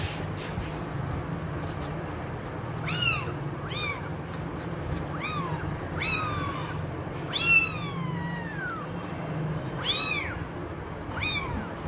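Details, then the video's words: Kittens and cats in a meowing compilation: a series of short, arched, harmonic-rich meows, about eight over twelve seconds, some rising then falling, over a steady low background hum. "Cats Kittens Meowing Compilation 2021| Meowing Cats |Kittens Funny Meow Sound"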